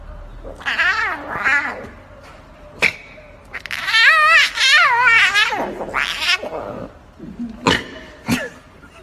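A lion cub gives high, wavering, mewing calls, its attempt at a roar, with a few sharp clicks.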